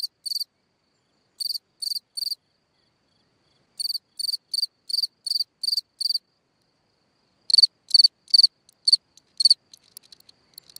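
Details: Cricket calling at night from a hole in the ground: clear pulsed chirps in short runs separated by silent pauses, the last chirps softer and broken up.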